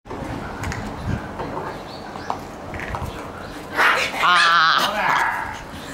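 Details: Shiba Inu puppies playing energetically in the morning; after a stretch of low background noise, a loud, wavering, whining yelp rises near the end and fades out.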